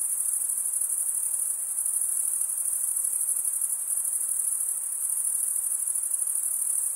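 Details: Cricket chorus produced by wing stridulation: an even, piercing high-pitched trill that holds constant for the whole stretch, finely pulsed, with a quiet background and no other animals or voices.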